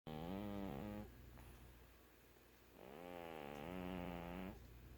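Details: Sleeping cat snoring: two long, low, harmonic-rich rasping breaths, the first about one second, the second nearly two seconds with a slight rise and fall in pitch, separated by a quieter pause, in a still indoor setting.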